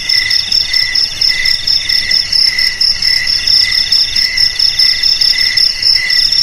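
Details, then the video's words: Crickets sounding as a rat repellent, a dense shrill chorus of rapid pulsed chirps, bursts repeating roughly twice a second over an unbroken high buzzing background. "Suara JANGKRIK Pengusir TIKUS"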